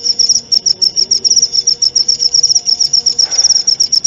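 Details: Clear cricket chirping used as song material for a white-rumped shama: a continuous run of high, sharp pulses repeating quickly and evenly, with a soft low rumble and a brief faint noise near the end.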